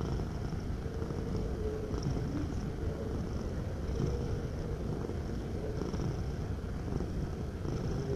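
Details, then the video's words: Domestic cat purring, a steady low rumble with a fine rhythmic pulsing texture that runs unbroken for the whole eight seconds, with a faint constant higher hum in the background. "Suara Kucing Mendengkur"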